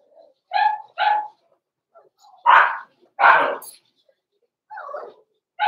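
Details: Cavalier King Charles Spaniel puppies, blenheim coloured, born November 14, 2022, in a small indoor pen at Christmas. Two crisp high barks are followed by two broader, harsher bursts, a softer muffled sound, and another bark at the end.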